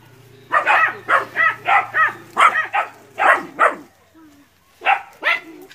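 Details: Young dogs in training bark at a water buffalo in West Sumatra, Indonesia; a run of about ten sharp yelping barks, a short quiet gap, then two more barks.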